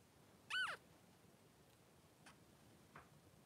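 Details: Newborn Blenheim Cavalier King Charles Spaniel puppy, three days old, one of two boys in the whelping pen with mother Pom-Pom; one sharp, high squeal with a quick falling tail, then two faint brief squeaks against a quiet indoor hush.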